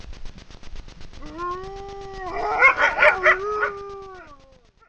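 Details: Wild grey wolf pair howling together at night in front of a camera trap in the Frýdlant region, Liberec area, Czech Republic. Long, smooth, sustained howls slide upward, then overlap in a richer chorus before fading. Faint steady ticking runs underneath.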